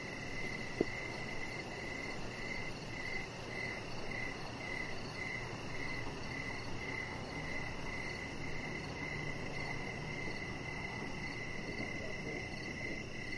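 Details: Evening cricket chorus near a deck where Rocket the Chihuahua puppy rests under decoration lights; bright high chirps pulse evenly and continuously, with a faint second chirping voice higher up and low rumbling background, one brief click early.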